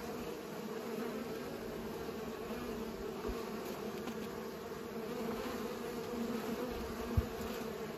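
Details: Bees pollinating flowers, giving a steady droning buzz with a low hum and brighter overtones, continuous throughout, with one brief click near the end.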